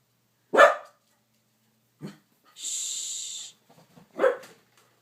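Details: A female Corgi barks at a TV commercial she always reacts to, giving two sharp, loud barks about four seconds apart with a softer huff between.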